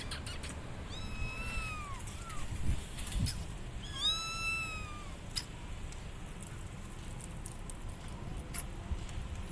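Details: Abandoned kittens calling their mother cat from a gate: two clear, drawn-out arched meows with rich harmonics, a short squeak between them, over low background rumble.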